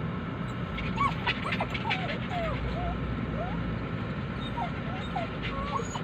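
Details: Poodle dogs whining for their absent owner: a string of short, high, curling cries, rising then dropping, coming in uneven bursts throughout, with a low mechanical drone underneath.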